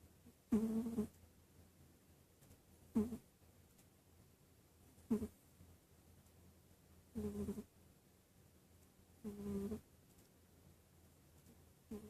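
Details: A sleeping cat snoring in slow, regular breaths: six low, rasping snores with a faint tonal buzz, spaced roughly two seconds apart, with quiet pauses between and no other sounds.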